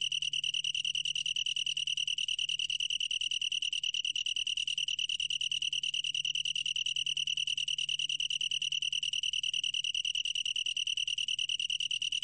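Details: Continuous high, tonal trill from a long-tailed tree cricket, 2020 National Institute of Biological Resources material, rapid pulses repeating evenly with no breaks, accompanied only by a faint low-pitched hum.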